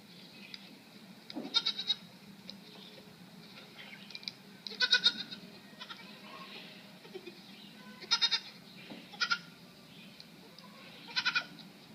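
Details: Puzzling goat sound made of clusters of rapid, stuttering nasal pulses, each burst under a second long, coming at irregular gaps about every two to three seconds against faint background hum.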